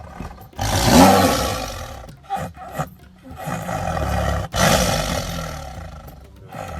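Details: A tiger (Panthera tigris) roars, deep, rasping and throaty, rising and falling in loud, drawn-out bursts.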